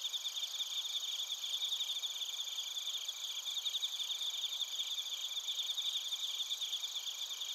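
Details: Crickets, including bell crickets, chorus in Narita, Chiba, Japan. Dense, fast, high-pitched pulsed trills run without a break, layered over steady shrill buzzing bands from many insects.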